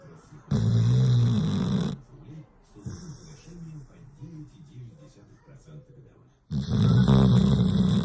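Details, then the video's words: Dog snoring: soft, rapid, rhythmic low snorts repeating several times a second, framed by two loud, harsh bursts of voice-like sound at the start and end. "Собачий храп"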